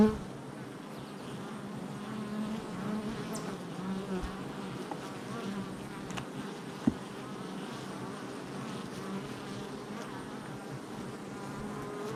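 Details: Honey bee colony at the hive entrance, filmed July 22nd, 2024; even, sustained buzz of many bees with a low hum, a sharp tap near seven seconds and an abrupt start.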